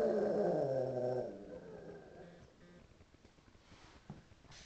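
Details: Pug reacting to police or ambulance sirens on TV in a suburban home, recorded April 2009 with a Flip camcorder; a wavering, harmonic moan fades over about two seconds into faint room noise.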